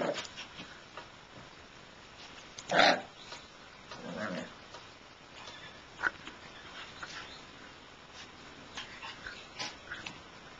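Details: Shiba Inu puppies, mostly quiet with faint squeaks, broken by one loud harsh yelp about a third of the way in. A lower, rougher growl-like grumble follows a little later, then sparse soft squeaks.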